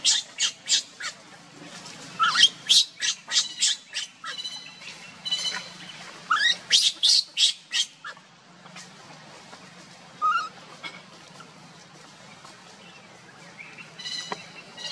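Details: Monkeys in a struggle over a baby carried by its running mother; rapid series of harsh high squawking screams, about three per second in bursts, fading into quieter scattered calls and a low background hum.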